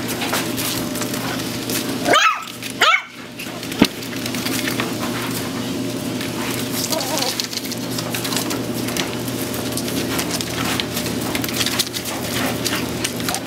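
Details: AKC Toy Poodles: two or three sharp, quick barks burst out early, then fade into a continuous noisy background hum with faint scattered squeaks.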